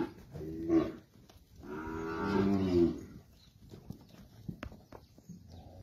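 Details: Seven- to eight-month-old Nelore and crossbred Nelore calves from a lot of 23 near Monte Aprazível, São Paulo, Brazil: a brief moo, then a longer drawn-out harmonic bellow lasting over a second, followed by quiet clicks and shuffling.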